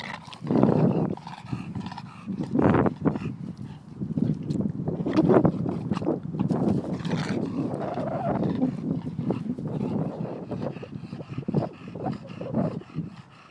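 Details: A bulldog that wants a ball stuck in a tree makes low, rough growling and grunting noises in bursts, with huffs and some louder strained vocal pushes across the recording.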